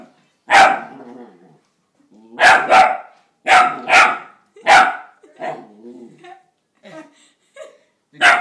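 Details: Young female Seeing Eye puppy on her first day, after hours on a cargo plane, barking at her own reflection in a mirror. Loud, sharp barks come singly and in quick pairs with short pauses, followed by softer huffs and whines.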